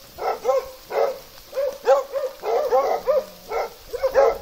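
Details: Hounds in Russia, a Plott hound with an American foxhound, give bursts of bell-like barks in uneven groups, with a rougher, broader note mixed in between the ringing ones.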